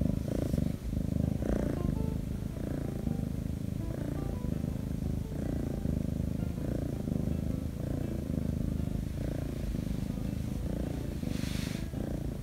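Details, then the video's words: A Korean shorthair kitten, a rescued former stray, purrs close up and nonstop while being petted, a deep steady rumble swelling and easing with each breath. "[아기고양이 샤똥이] 샤똥이와 언니집사의 행복한시간/냥줍/코숏/길냥이"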